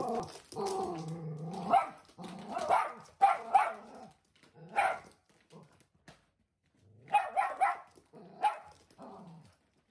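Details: Shetland Sheepdog named Roco, a timid one-year-old blue merle kept indoors, confronting a delivered mattress package: a low drawn-out growl, then short sharp barks in bursts of two or three, pauses between, ending with a soft growl in a small room.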